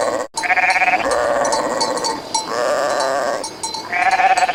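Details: A flock of sheep bleating continuously, with long overlapping wavering calls rising and falling, one voice after another, and light clinking behind them.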